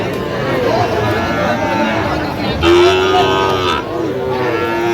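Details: Sahiwal bull calves at a cattle market in Aftabganj, Mymensingh, Bangladesh, where farmers are buying on 27 September; one drawn-out, harmonic moo rises out of steady crowd chatter and bargaining voices.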